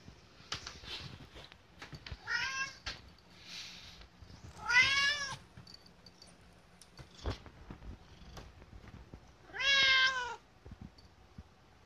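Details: Hungry pet cat Kotetsu begging for food; three curved, ringing meows spread several seconds apart amid faint tapping and room sounds.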